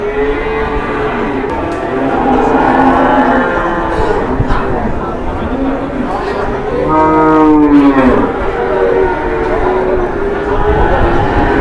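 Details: Very large cattle filmed one morning in Indonesia; a deep, drawn-out moo with layered harmonics swells and falls midway through, while people talk steadily in the background.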